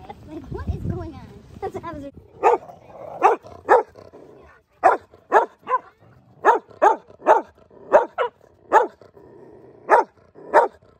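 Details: Mastiffs and a Rottweiler playing in the snow, a mix of two-year-old, three-year-old and five-month-old dogs; a man speaks briefly, then deep barks come in loose volleys, often in pairs, roughly every half second to second.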